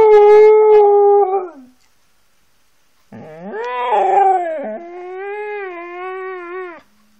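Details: Siberian Husky howling indoors: a loud, steady, tonal howl of about one and a half seconds, a pause, then a longer wavering howl that rises, dips and holds for nearly four seconds before cutting off.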